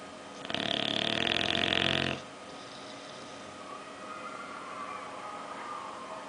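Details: A bulldog named Oliver snores while sleeping and dreaming; one loud, buzzy, rattling snore lasting nearly two seconds, followed by quiet breathing.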